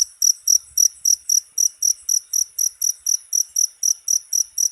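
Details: Shrill cricket chirps, used as tutoring material for cage songbirds, come in an even series of short, bright bursts at roughly four per second, with nothing else audible.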